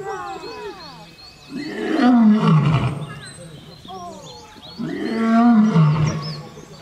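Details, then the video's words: African savanna lion roaring twice, each call a long, throaty roar gliding downward into a low rumble, with faint high chirping sounds in the background. "Les secrets du rugissement du lion 🦁: libérer la puissance (cri du lion) | Lions Roaring Compilation"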